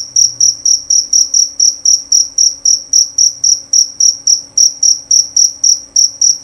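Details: Male cricket of the jerabang kind chirping nonstop, with bright, high-pitched pulses at a brisk four per second and a steady rhythm. A soft low rumble sits underneath.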